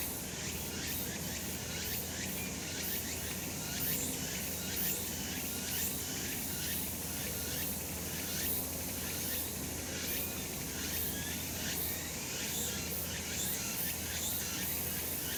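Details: Cicadas on a sunny summer mountain keep up a constant high, sizzling drone, beating in quick regular pulses throughout, with a steady faint low hum beneath.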